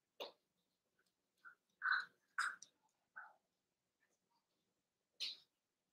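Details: Overnight indoor puppy cam of three Cavalier King Charles Spaniel puppies, Ruby and Blenheim coats, born 9 June 2022, recorded 27 August: a few short, high whimpers and squeaks, one clearer whine in the middle, separated by quiet gaps.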